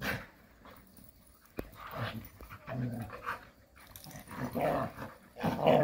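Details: Several Jindo dogs romp playfully in a rural setting, giving short throaty growls and breathy pants in uneven spurts, with a sharp knock near the start and the loudest growling in the final second.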